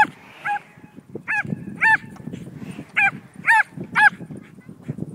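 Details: A Border Collie mix named Betsy, worked up while herding a flying kite, gives about seven shrill, bent yelps at uneven intervals of roughly half a second, with a steady low rumble underneath.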